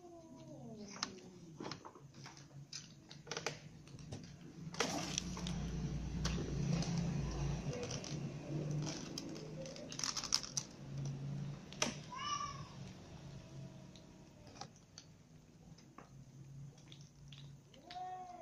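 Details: Domestic cats, a ginger cat, little kittens and a mother cat, eating dinner together; a few short, rising-then-falling meows stand out against steady clicking and chewing noises and a low background hum.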